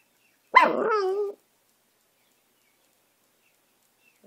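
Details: Dog howling: one short howl under a second long, starting high and sliding down into a wavering tone, followed by silence.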